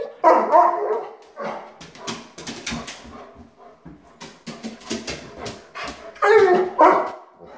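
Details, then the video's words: German Shepherd named Rocko, a pet, vocalizing as his owner leaves for work: loud harmonic barking and whining yowls at the start and end, with a person talking to him in between. "Rocko The German Shepherd Says: Please Don't Leave Me!"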